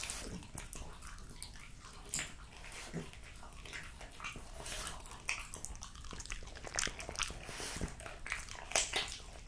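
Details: Jessica, a female French Bulldog, eating raw lamb cutlets, beef schnitzel and BBQ pulled pork: wet, smacking chews and sharp clicky bites in quick, irregular succession, with no vocal calls.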